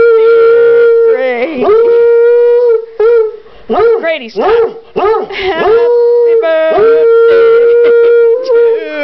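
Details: Coonhound 'singing' Happy Birthday to his brother at his third birthday celebration indoors: long steady howls alternating with wavering, bending notes, mixed with human voices singing along.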